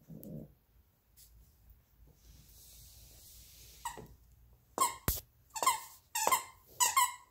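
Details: Play fight over a toy fox between a 12-week-old Alaskan Klee Kai cross Pomeranian puppy named Luigi and Pooki, a 7-year-old American Eskimo cross Chihuahua; after quiet rustling, five high squeaky yips come in quick succession, roughly every half second.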